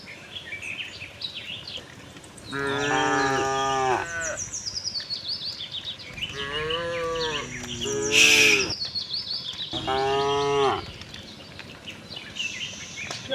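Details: Friendly farm cows wandering in search of green grass, mooing several times in long, rich harmonic calls, some rising then falling, while birds chirp steadily overhead and a brief sharp noise cuts in near the middle.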